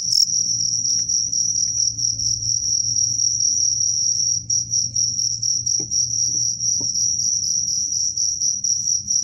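A cricket's high, steady, buzzing trill runs continuously at one pitch.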